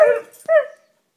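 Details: Siberian Husky singing indoors: two short, wavering, howl-like tones with rich overtones, the first sliding slightly down, then a brief pause before a second, shorter rising-falling note that fades out. No other sounds.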